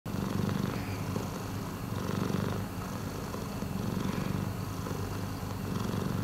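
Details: Miiko, a rescued domestic cat, purring steadily indoors: a continuous low rumble that swells and eases with each breath, about every two seconds, with no other clear sounds.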